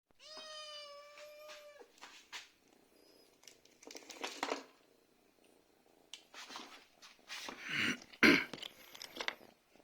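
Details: Domestic cat meowing indoors to ask for food: one long, steady, clear meow lasting nearly two seconds, followed by rustling, clattering and scattered household noises.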